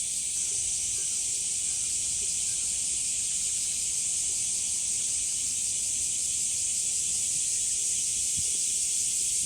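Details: Cicadas singing in the heat at Umami Hills Park, Japan, among sunflowers; a steady high, hissing chorus continues throughout, with faint low rustles and soft background sounds beneath.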